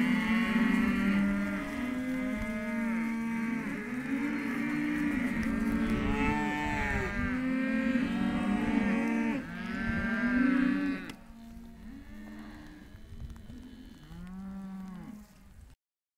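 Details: Hereford calves of both sexes penned at a sale lot, dense overlapping mooing from many animals for about eleven seconds, then a quieter run of a few separate bawling calls before the sound cuts off.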